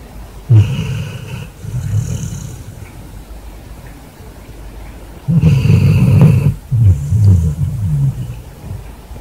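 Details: Basset hound asleep in bed after a hard day, snoring as loud as a man. Deep, rumbling low snores come in long bursts of about two seconds, separated by quieter pauses, with a faint airy hiss on top.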